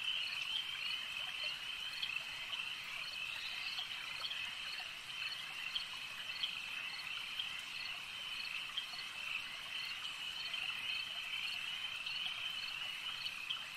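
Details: Frogs at a lake keep up a thick, even, high trilling chorus, steady throughout with only slight swells and scattered sharper notes.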